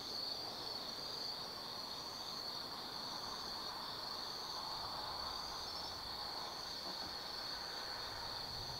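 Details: Autumn night insects in the Tsukimi no Mori forest, Kaizu, Gifu, Japan, from a lookout 180 m above the Nobi Plain lights: a constant high ringing trill above a low, steady rumble like distant traffic or a train.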